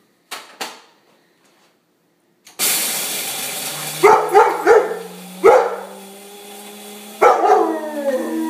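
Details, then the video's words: Leo, a yellow Labrador, sings along with the coffee grinder every morning, waking the house: a steady grinder drone with several short, rising, yelping howls layered over it, after a couple of brief knocks. "Dog sings with the coffee grinder!"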